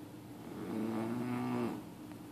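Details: Sleeping puppy named Bear snoring loudly indoors: one drawn-out, tonal, groaning snore lasting about a second, with a steady low hum in the background.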